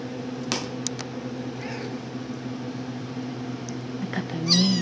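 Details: RagaMuffin kitten Donkey, 10½ weeks old, Shrek litter, being held indoors just after napping; a sharp, high squeaky mew comes near the end, among a woman's coaxing words, handling rustles and steady room hum.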